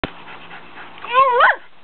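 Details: A pet Schnauzer gives a single drawn-out 'roo', a harmonic, howl-like note that rises and wavers upward, then drops sharply, lasting about half a second, followed by a person asking what is it.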